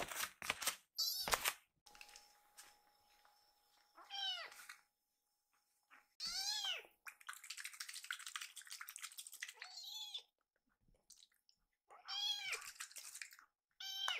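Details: Hungry rescued baby kitten Fumio begging after milk; a few arched meows separated by rustling and scraping noises, with a faint steady hum.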